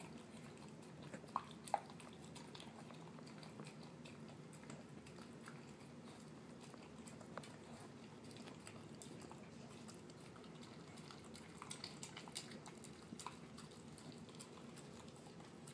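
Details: Male terrier mix dog at dinner, working through canned food mixed with kibble; steady, quiet squelchy chewing runs throughout, with a few louder clicks near the start and later light taps against the bowl, indoors and otherwise quiet.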